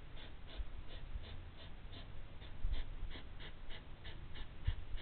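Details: Two hedgehogs huff and snort in rapid, rhythmic bursts, about three or four per second, while fighting.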